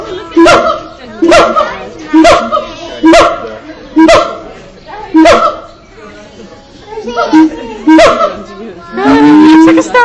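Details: Iwani, a hand-raised male siamang at Auckland Zoo, New Zealand, filmed 7 July 2013, gives loud, regular hoots about once a second, ending in a rising, drawn-out wail.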